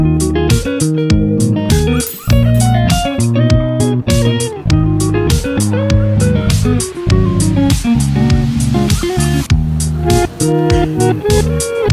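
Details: Plucked guitar music with a bass line, played as a repeating melody with short pauses; no animal sound is heard.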